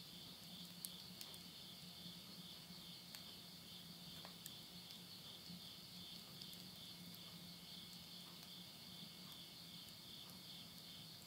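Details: Midnight insect chorus in September 2020, rural Tottori, Japan, end of summer: a constant bright, pulsing high trill carries on without pause, dotted with quiet clicks of burning wood in a stove and a low hum beneath.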